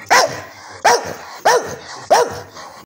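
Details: English Staffordshire Bull Terrier asking for its breakfast, giving four sharp, loud barks spaced about two-thirds of a second apart, each a single abrupt bow-wow with a quick rise and fall in pitch, in a quiet indoor setting.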